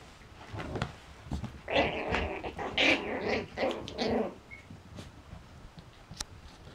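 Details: Six-week-old Yorkshire Terrier puppies give a run of whiny, slightly growly yips and whimpers for about two and a half seconds mid-clip, then fall quiet, with faint clicks and indoor room noise around them.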